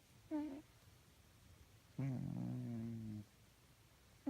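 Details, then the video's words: A sleeping cat snoring: a short nasal snort, then a longer droning, tonal breath of about a second with a faint whistle on top, in quiet surroundings. "Snoring and sleeping cats makes weird noises"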